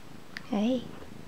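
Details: Morning meow from a house cat, one of a pair named CB and Penny: a single short tonal meow lasting about a third of a second, rising then gently falling, indoors in a quiet room, with a soft click just before.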